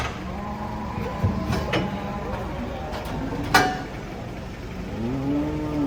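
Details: Cattle descending from a truck, with low moos at the start and a clear, slightly rising moo at the end, separated by thumps, knocks and engine-like background rumble.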